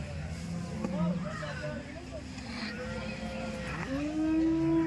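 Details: Dairy cows at the Loni cow market: low, drawn-out lowing under a man's voice, ending with a louder moo that rises and holds at the close.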